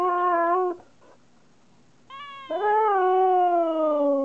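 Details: Siberian Husky talking back to its owner, a pet dog: a sustained tonal howl, a pause of soft whimpers, then a rising yelp leading into a long, gradually falling howl.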